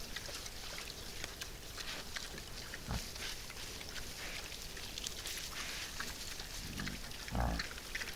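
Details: Wild boars that have come to feed give two short, low grunts about four seconds apart, heard over steady crunching and rustling feeding noise outdoors.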